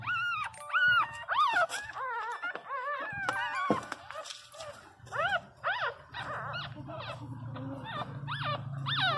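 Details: Pinscher dog crying loudly while its owner talks softly to it indoors; high, rising-then-falling whines and yelps repeated in quick series, with a woman's speech heard throughout.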